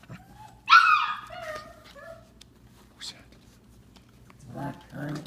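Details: Five-week-old Samoyed puppies swarm a person inside their exercise pen. One sharp, high-pitched puppy yelp rings out with bright harmonics. A man talks to the puppies, and there is soft shuffling.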